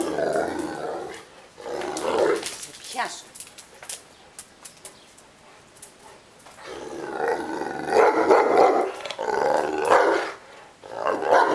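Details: Ovelix, a Neapolitan Mastiff grumbling because it wants to play, gives rough moaning vocal bursts at the start, falls quiet with faint clicks in the middle, then ends with long loud growling grumbles in repeated waves.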